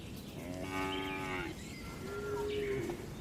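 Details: Cows resting inside a large livestock barn: two drawn-out moos, the first about a second long and gently falling at the end, the second level and steady, over a low barn rumble.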